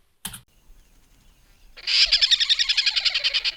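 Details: A tree squirrel's call, easily mistaken for a kingfisher such as the brown-hooded kingfisher: a fast, harsh, high chattering series of about three to four notes a second, preceded by a single sharp click.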